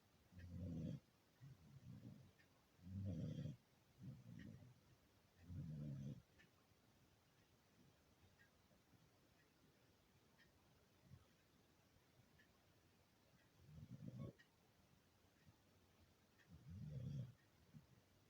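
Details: Sleeping beagle snoring: deep, rumbling low breaths in clusters, several close together early on, then a long quiet gap before two more, in a calm indoor space.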